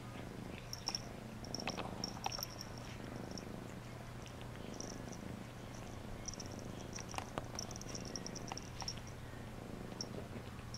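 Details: Purring cat during a bath, a deep rhythmic rumble held without break, with occasional faint scratchy and smacking sounds and light high clicks scattered across the recording.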